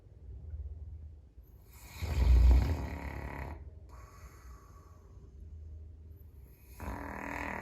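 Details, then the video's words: Indoor entryway recording of a sleeping Caucasian Shepherd, Number 1, with one strong, deep, throaty snore around two to three seconds, then slow, soft breathing and a rising rasp at the end. "Snoring Carpet (Caucasian Shepherd)"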